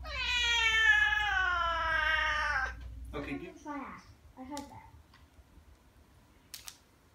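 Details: Persian kitten meowing while getting a bath: one long, loud drawn-out cry of nearly three seconds, followed by softer broken squeaks, with a person's voice nearby in a small room.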